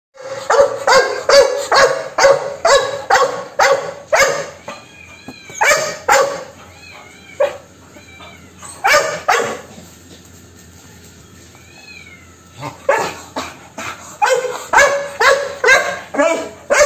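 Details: A Labrador Retriever in Chhattisgarh, India, barks in loud, rapid bursts, pausing briefly before barking again.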